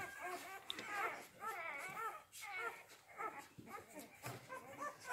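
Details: Young Rhodesian Ridgeback puppies, C litter born 8 June 2019, Kennel Letsatsi kwa Africa, whining in a rapid series of arched, wavering cries roughly twice per second, with soft speech underneath.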